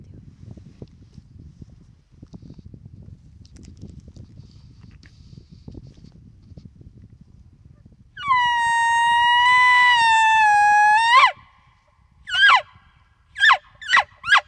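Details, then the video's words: Bull elk bugling at night during the peak rut near a mountainside wallow: after quiet rustling, a long sustained whistled tone with rich harmonics holds for about three seconds, then drops, followed by four short sharp descending chirps. "Bugling with Big Bull Elk, Peak Rut!"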